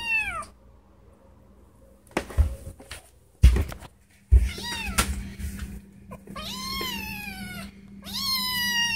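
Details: Indoor female house cat crying because she wants to go outside; several drawn-out, falling meows with rich harmonics, one at the start and others after five seconds, with thumps and handling noise between them and a steady low hum.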